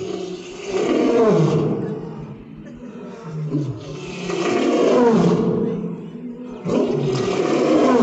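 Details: African lion in Islamabad giving deep, drawn-out moaning roars that swell and fade in three long waves, with rough low tones sliding downward between them.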